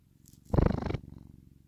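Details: Domestic cat purring: a low, rapidly pulsing rumble throughout, swelling into a louder, rougher stretch near the middle before settling back to a soft, even vibration.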